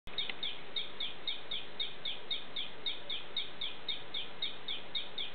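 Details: Ameerega hahneli poison frog calling in the morning. Short, high, chirping notes repeat rapidly and evenly, about four each second, over a constant low rushing background noise.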